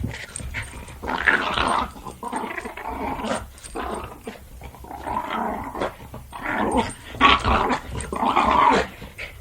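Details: Jack Russell Terrier growling while playing, indoors: rough, grumbling growls in bursts of one to two seconds, rising and falling in loudness, with short breaks between them.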